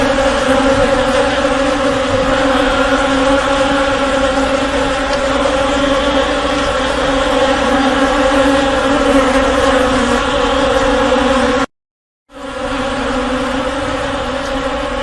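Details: Honey bee swarm: a dense, steady droning hum with a low fundamental and a bright overtone, holding level throughout before a brief total dropout near the end, then resuming.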